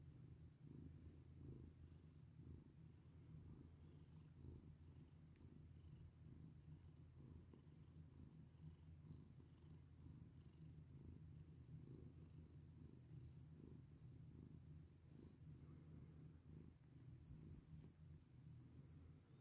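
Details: Long, even purr from a domestic cat enjoying being petted, a low throbbing drone with soft pulsing swells and occasional faint rustles.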